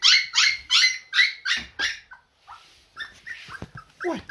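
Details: Siberian Husky puppies, already walking and following their mother, hungry and chasing her for milk at evening feeding time: a rapid run of high, loud yelping whimpers, about six in the first two seconds, then softer broken whines.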